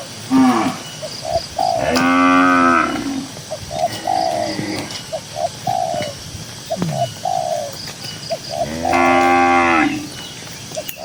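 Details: Dozens of cows graze and stroll across a green pasture. Two full, loud moos about seven seconds apart, each a rich, sustained low bellow, with doves cooing softly and repeatedly in between.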